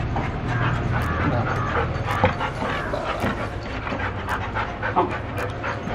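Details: Golden Retriever meeting its owner again after two months apart, breathing in fast, breathy, rhythmic pants with a few faint whimpers, over steady background noise and brief sharp clicks.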